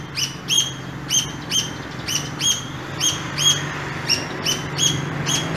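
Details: Pair of squirrels met on an early morning walk in an urban landscape, giving sweet chirping calls: sharp high chirps repeated about every half second in a steady series, over a low rumble of passing vehicles.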